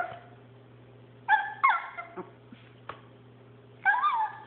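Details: Chihuahua playing with a paper towel roll indoors gives short, high, whining yips with bending pitch. Three bursts come over about four seconds against a steady low electrical hum.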